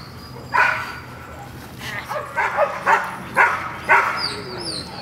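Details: Gold, a female dog at protection training with a new decoy on May 12th, gives about seven sharp barks at irregular intervals, rising in quick succession toward the end, with faint high whistles above.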